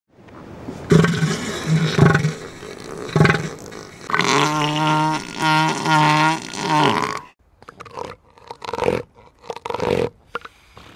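Elephant seal giving deep, guttural pulsed calls that swell into a long, throaty roar.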